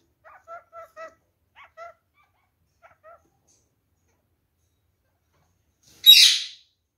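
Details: Kakariki from a bonded pet pair, freshly given a nest box they inspect with curiosity: soft short double-toned chirps in small clusters, a pause, then one sudden loud harsh screech near the end.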